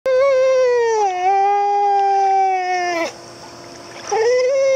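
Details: A very vocal female pit bull terrier makes long, wavering, moaning sounds as she 'talks' on and on to people, apparently at a private dog swim facility in Spring, Texas.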